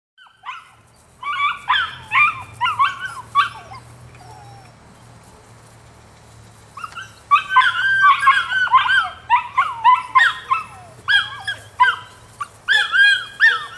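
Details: Female puppy, nine weeks old, giving high, yelping barks in quick bursts of three or four, a pause of about three seconds midway, then a longer run of rapid, uneven yaps; a faint low hum underneath.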